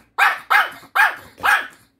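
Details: Indoor pet dog demanding Korean melon from its owner; four loud, evenly spaced barks in rapid succession, roughly one every half second, scolding in tone.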